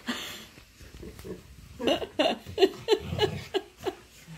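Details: Monroe, a pet Siberian Husky, pinning her owner in nightly play indoors, giving a quick run of short grunting, talking yips about three per second, with a person's laughter and voice around them.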